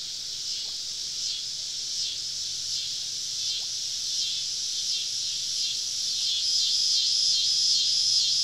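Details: Many cicadas on a southern summer evening in deep woodland around a campsite: a continuous high-pitched shrilling with faint rhythmic surges, slowly rising in volume toward the end, with a thin whistled tone entering late.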